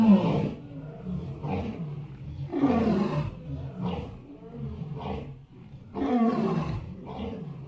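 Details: Elephants give deep, rough rumbling roars in bursts about every one and a half seconds, each swelling loudly and then fading, with low throaty harmonics throughout.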